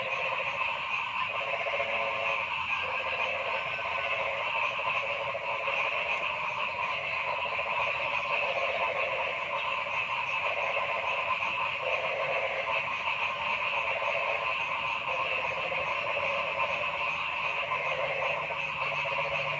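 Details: Frogs in forest calling together: constant high buzzing and trilling layers with mid-pitched pulsed croaks that come in short bursts every few seconds.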